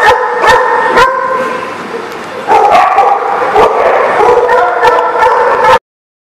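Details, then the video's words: A group of dogs barking at once, recorded 15 February 2019; sharp repeated barks at the start, then a dense chorus of overlapping barks and yelps that ends abruptly. "The Barking Lot"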